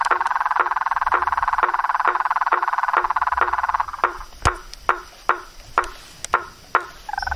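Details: Frogs, toads and treefrogs calling in nature: a dense, pulsing trill held around one mid pitch for four seconds, then stops, leaving sharp knocking clicks repeated about twice a second and a short final call.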